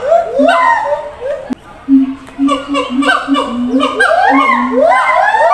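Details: Siamang at a zoo, shouting to others housed in a different, distant cage: steady low booming notes repeat in a row while rising, ringing harmonic whoops climb and overlap, building into a dense chorus.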